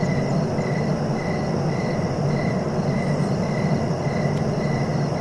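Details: Rhythmic cricket chirps, each short and evenly spaced about half a second apart, over a heavy continuous low-pitched noise bed.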